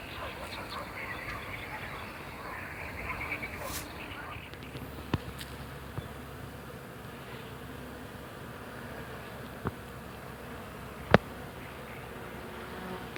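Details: Bees working a flowering hawthorn in spring, making a steady low, even hum that runs throughout, with a few sharp clicks and faint bird chirps over it.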